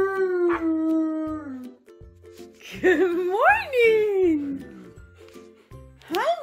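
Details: Alaskan Malamute and Siberian Husky (Canis familiaris) howl together in the morning in long, wavering tones that slide up and fall away, starting while their owner sings them a good morning song; the husky then does couch zoomies.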